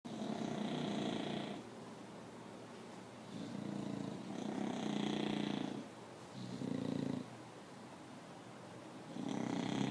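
An English Bulldog snores loudly in deep, rattling breaths that rise and fall every couple of seconds.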